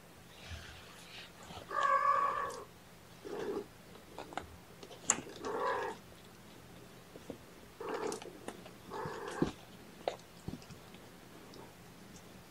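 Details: Young kittens at a morning feeding, syringe-fed formula while held in a lap. Several drawn-out, tonal mews, each under a second and spaced a few seconds apart, with soft handling and rustling noises between them in a small indoor room.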